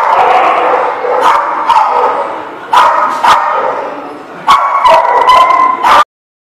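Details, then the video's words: Dogs at a dog lot recorded 15 December 2017; a continuous murmur of yips and whines with sharp barks breaking through at irregular intervals, several animals calling at once before an abrupt stop. "The Barking Lot"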